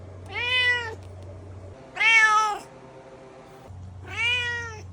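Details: Domestic cat meowing, three clear harmonic-rich meows about 1.5 seconds apart, each slightly arched in pitch, over a steady low hum; quiet room otherwise.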